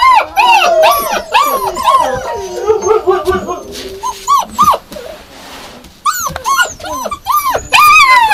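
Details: Yakutian Laika producing a busy string of rising-and-falling whines and short yelps, densely overlapping at first, then spaced arching cries after a brief lull.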